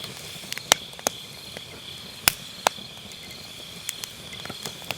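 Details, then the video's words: Grass insects on an autumn night beside a round fire-pit campfire, captured with an MKE600 microphone using low cut: a steady high shrill trill runs throughout, broken by sharp, irregular crackles and pops of burning firewood. "가을밤 풀벌레 소리"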